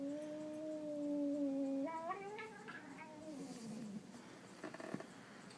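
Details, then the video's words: House cat letting out a silly noise: a steady low droning yowl for about two seconds, then breaking upward into a short warble and trailing off into faint rustling and a couple of soft knocks. "Cat Makes Hilarious Noise"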